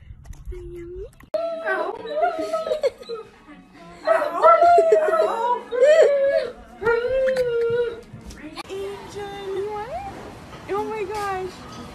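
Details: Several dogs at play, fooling around together, give a run of gliding, whining howls and yelps in tonal bursts of one to two seconds, some rising sharply at the end, with human voices mixed in.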